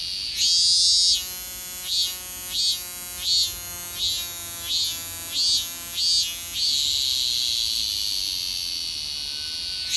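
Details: Minmin cicada, the robust cicada, calling from a kousa dogwood in summer, delivering one bout of roughly six strong pulsing throbs over a bright high buzz, then settling into a sustained shrill whine that slowly fades.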